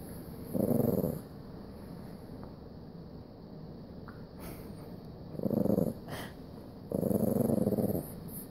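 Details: Three short, separate growling bursts from a Jack Russell Terrier said to have OCD, each under a second or so long, with quiet stretches and a couple of small clicks between them.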